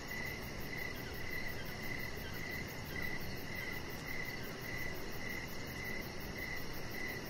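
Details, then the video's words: Chirping crickets in the evening outside, a chihuahua puppy resting on the deck; regular sharp pulses roughly twice a second ride over a steady wash of hiss. "Cricket Sounds"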